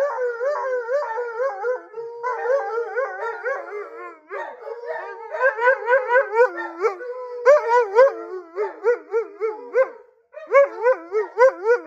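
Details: Husky Blue, feeling ignored, keeps up a long, expressive howling song of looping, warbled notes that swoop up and down in quick succession, rising in intensity, with a brief gap near the end.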